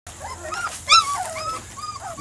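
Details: Weimaraner and Vizsla cross puppies, three to four weeks old, from Biscuit's litter: high, thin whimpers that rise and fall in quick arcs, one sharper squeal near the middle, then softer whines overlapping.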